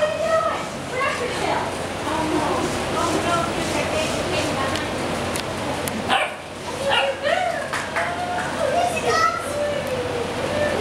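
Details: Playing Basset Hound puppies give short, high yips and barks, several in quick bursts through the recording, over people talking nearby.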